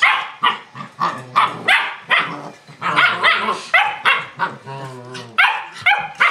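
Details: Playing German Shepherd pups wrestling: rapid sharp yaps and barks come roughly every half second, mixed with growly snarls and whining, squeaky yelps.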